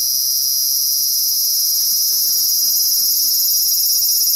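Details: Cicada in a Japanese summer, calling very loudly: a steady, shrill, continuous drone held at full strength without pause, with a slight shimmering waver in its high tones.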